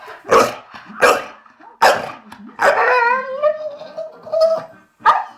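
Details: Diesel, a blue Staffordshire bull terrier, whining while love sick because the female Hermione is in season; short sharp yelping bursts, then a long drawn-out nasal whine wavering in pitch, closing with another brief yelp.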